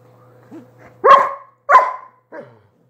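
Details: Dog giving two loud, crisp barks close together, framed by softer, higher little yelps before and after, with a faint steady hum in the background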